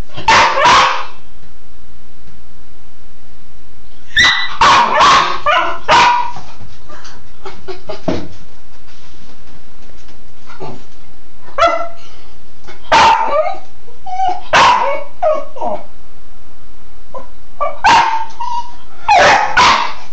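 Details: A Cairn terrier plays in the shower, giving bursts of sharp, high yapping barks over a steady low rush of water.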